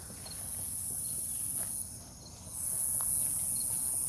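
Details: Cicadas calling at night in forest near a farm with a fallen tree, Omaha, Nebraska, 08 03 2021: a thin, high sizzle fades out, pauses briefly, then surges back louder, with faint clicks beneath.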